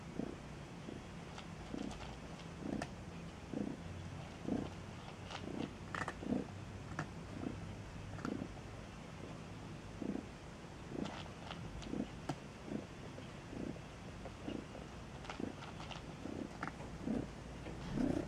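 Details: Newborn Maine Coon kittens at a cattery in Saint Petersburg, Russia, give a steady run of short, soft squeaks and grunts, several per second at times, over a quiet indoor background.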